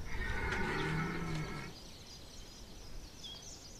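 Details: Red deer belling during the September 2021 rut at Chambord, France: a deep, hoarse, harmonic bellow about one and a half seconds long, then fading to background hiss with faint birdsong.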